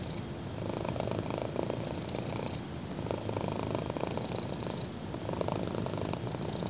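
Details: Purring black kitten resting on someone's thigh; continuous low vibrating rumble swelling in gentle waves about every one to two seconds, recorded up close in a quiet room.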